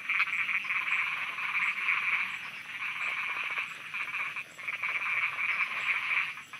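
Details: Frogs croaking at night in Thailand: loud, rapid rattling croaks in long bursts of about a second each, separated by brief dips, over a faint high-pitched insect hum.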